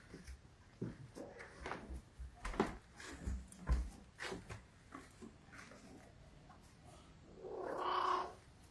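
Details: Hungry Russian Blue cat indoors, giving a single drawn-out meow near the end after a person's coaxing voice and soft household sounds.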